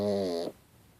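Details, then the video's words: A sleeping pet pug gives a single half-second snore, a buzzy, nasal rattling breath that cuts off abruptly into quiet room tone. "Pug Snoring"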